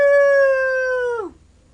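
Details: A 12-year-old Yorkshire Terrier named Nanook, weighing 5 pounds, sings when asked, holding one steady, pure howl for over a second before it bends sharply downward and stops.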